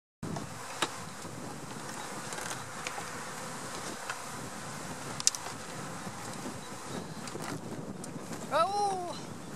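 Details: Honey bee swarm from April 2017 being installed into a hive; a steady, dense buzzing hum fills the whole recording, with scattered clicks and a short tonal sweep near the end.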